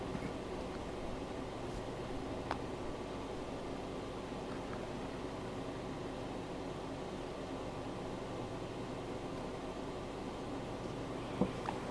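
A steady indoor hum and faint rustling, with no animal calls.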